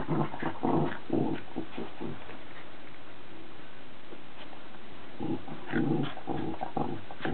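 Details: Cavalier King Charles Spaniel Charlie and Cairn Terrier Billy at play-fight, two dogs indoors; low rumbling growls in bursts at the start, a quiet gap, then more growling near the end.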